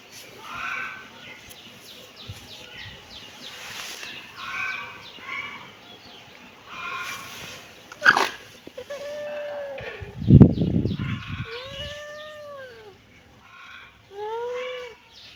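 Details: Kittens meowing: several short, arched, nasal meows later in the clip, rising then falling, with fainter stacked calls earlier and a loud low thump near the middle.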